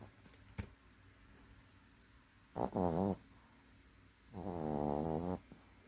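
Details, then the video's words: A sleeping dog snoring indoors: two harmonic, wavering snores a few seconds apart, the second longer and steadier, with quiet room background in between. "코골며 코코넨네"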